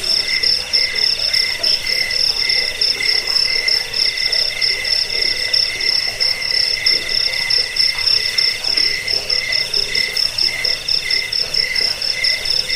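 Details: Crickets played to repel rats, lull listeners to sleep and train songbirds; a dense, unbroken chorus of rapid high pulsed trills in two bright bands, with a faint lower murmur underneath.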